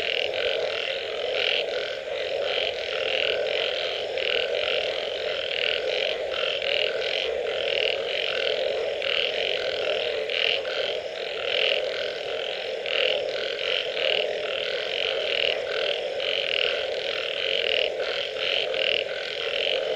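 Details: Frogs calling after rain, a dense chorus of many overlapping callers: a steady low droning hum under constant croaking pulses that repeat rapidly and unevenly throughout, with no gaps or other clear sounds.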